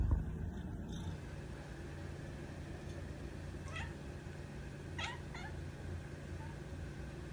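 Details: A calico polydactyl cat gives a few soft, short, whiny meows over a steady low hum while being offered turkey.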